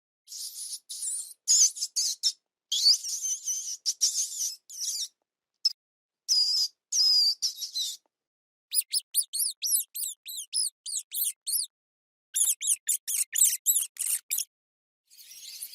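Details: Mouse giving bursts of very high, thin squeaks, some steady and some in rapid rising-falling chirp runs, with brief silent gaps between groups.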